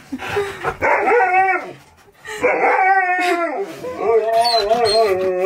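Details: Siberian Husky, excited that his best friend is coming over, gives drawn-out howling 'talk' in rising and falling wavering tones, two long bursts split by a short pause, loud and close in a room.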